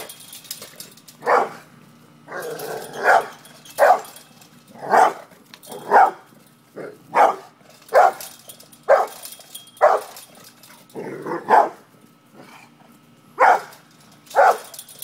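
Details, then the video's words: Barking pit bull squaring up to a cat: a run of sharp barks roughly one per second, some paired, with brief muffled rustling between them. "PITBULL VS CAT"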